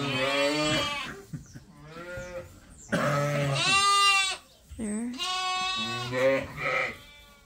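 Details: Farm sheep and lambs waiting for feed during daily chores: a dense run of overlapping bleats, some long and wavering, some short, from several animals calling one after another, with brief quiet gaps.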